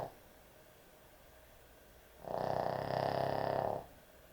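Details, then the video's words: Sleeping dog giving one long, loud, gravelly snore of about one and a half seconds after a stretch of near silence indoors. "강아지 수면영상, 코골이 강아지의 취침시간"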